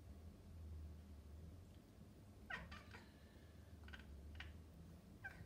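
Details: Maine Coon cat calling toward birds, a faint, quiet run of short, clipped chirps clustered in the middle of the clip, with a softer burst of chirps near the end, over a low indoor hum.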